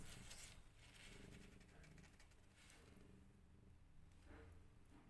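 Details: Rescued cat family of a mother cat and her five kittens; low, steady rumbling purr with banded pulses repeating about four times a second, over soft rustling and handling noises.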